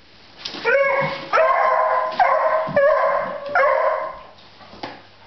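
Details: Echo, a 9-month-old beagle puppy scared of baskets, produces four rhythmic, resonant bays roughly one second apart, each clear and musical with a slightly rising start, in a quiet indoor setting.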